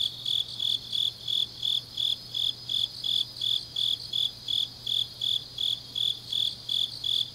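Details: Autumn night chorus of grass insects from Changnyeong, Korea: regular bright chirps near three per second from one loud singer, overlapped by a softer continuous trill slightly higher, and a steady low hum underneath.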